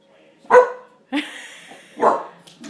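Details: A pet dog at night in a new house, mistaking a reflection for someone at the door, gives two short deep barks about a second and a half apart, separated by a woman's voice asking who is there.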